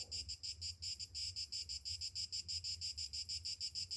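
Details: Summer morning cicada song, a piercing high-pitched buzz broken into even rhythmic pulses about three per second, with a soft low rumble underneath.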